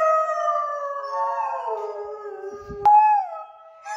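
A Borzoi gives a long, wavering howl that slowly slides downward in pitch.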